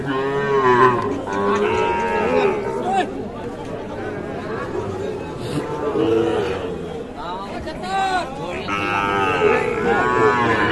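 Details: Sahiwal bull calves being fattened, at the Ambari cattle market in Dinajpur on 28 February; several drawn-out, rising-then-falling moos come from more than one animal, repeating through the clip over steady crowd chatter and trading voices.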